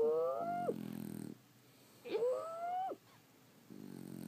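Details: Sleeping French Bulldogs snore in two loud, rasping breaths. Each breath has a nasal whistle that swoops upward and then drops off, followed by a quiet gap and the start of another low snore.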